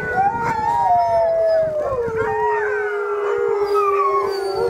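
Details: Several huskies in a yard howl together, long wavering tones sliding slowly downward and overlapping in chorus.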